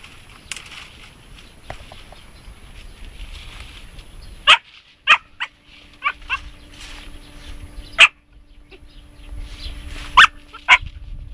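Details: Young Siberian Husky, aged three and a half months, meeting a hedgehog. Scattered short, sharp yapping barks come singly or in quick pairs across the recording, with a steady low hum and faint rustling between them.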